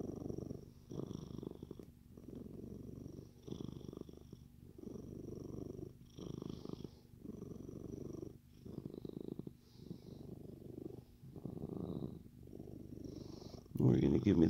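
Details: Gremlin, a Siamese cat, purring contentedly indoors: a low rumbling purr in steady bursts of about a second each, separated by short pauses, ending with a brief louder rustle.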